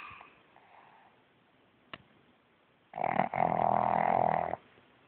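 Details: A male pug in bed, snoring emphatically while awake to avoid getting out of bed; near silence for three seconds, a faint click, then one loud, rasping, droning snore lasting about a second and a half before quiet returns.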